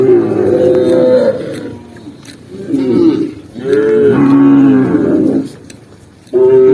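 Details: Cows herded down a green hillside, tame and running, give deep drawn-out moos, the loudest one wavering and falling, with quieter lowing between and a fresh moo starting at the end.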